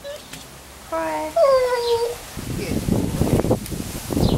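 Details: Buster, a Staffy cross, cries on cue: a clear whine begins near one second and slides downward over about a second, followed by rumbling talk and handling noise.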